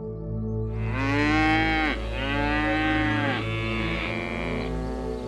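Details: Cow lowing in a series of long, rich moos, each swelling then dropping in pitch, sounding back to back, with gentle piano music underneath.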